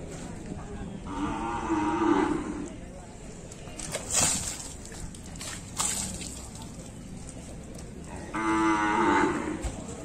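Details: Bali cattle mooing during a bath, two sustained harmonic moos at the start and end framing sharp clanks and splashes of water in the middle.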